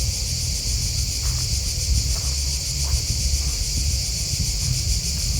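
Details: Chirping crickets form a dense, pulsing high-pitched drone with faint soft ticks scattered through it, and a heavy low rumble beneath.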